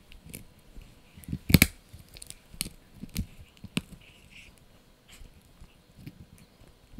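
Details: Blue, a male Yorkshire Terrier pup, crunches a dried bunny ear; one loud snapping bite stands out early, followed by softer intermittent chewing and quiet gaps.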